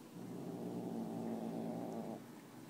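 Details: A female house cat growls while eating food stolen from another cat. The growl is low and continuous, about two seconds long, then fades out. There is a faint steady hiss in the background.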